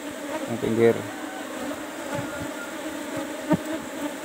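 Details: Asian honey bees, Apis cerana, in a cultivation box numbered 17 during honey harvesting: soft steady hum throughout, a brief spoken word early on and a single knock later.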